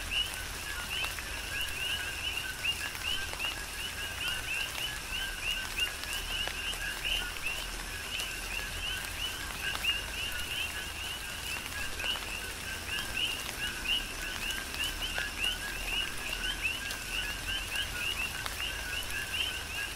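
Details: Dense nighttime-style chorus of coqui frogs recorded in tropical rain on the Big Island of Hawaii; numerous overlapping co-qui calls form a continuous chirping band over constant rain patter and scattered drips.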